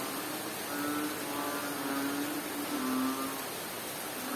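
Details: In Bohol, Philippines, a frog utters a few low, hollow notes in steady rain. Around four humming calls, one a little deeper and longer, rise from a thick background of falling rain.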